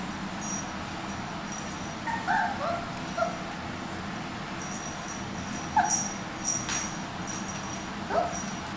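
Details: Micro mini Goldendoodle puppies almost eight weeks old give a few short, thin, high whimpers, spaced irregularly across a quiet room with steady low background hum.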